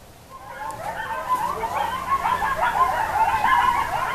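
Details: Coyotes calling at sunset as the sun goes down: a chorus of high, wavering yips and quavering howls that overlap and grow steadily louder across the few seconds.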